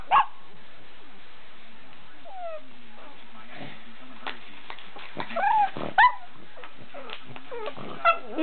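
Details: A female pug howls while her Australian Shepherd sister pops bubble wrap, which the pug dislikes. She gives short, wavering howls and whines among sharp popping sounds.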